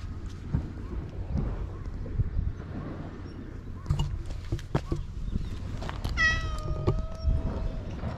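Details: Stray cat living on an island, recorded with a GoPro HERO8: one clear, drawn-out meow that falls slightly in pitch, heard over steady low rumbling noise and scattered footsteps or handling knocks.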